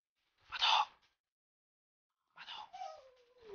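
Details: Dog whining while its owner eats roast chicken, impatient for a share; a short breathy burst, a pause, then a falling whimper gliding downward from a higher pitch, in a quiet indoor room.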